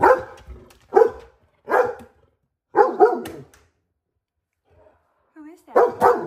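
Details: A normally calm male chocolate Labrador Retriever springs up from a window seat on spotting his favourite owner pulling into the driveway, giving loud, excited barks in uneven bursts with a brief whine between them.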